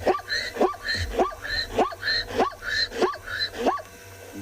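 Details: Zebra, possibly a stallion, calling on a live African safari. The call is a rhythmic series of barking, dog-like yelps, about two per second, each with a rising, wheezy tone.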